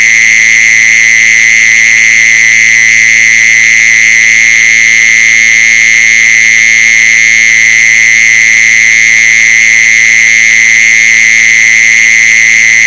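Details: Mole cricket steady, loud, high trill running on without a break, a recording played as a lure to attract mole crickets.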